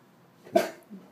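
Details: Bentley, a 10.5-month-old, 95-lb intact Greater Swiss Mountain Dog, sits on a porch and tries not to bark at passers-by. He gives one short, breathy, muffled puff instead of a bark, followed by a quiet human voice.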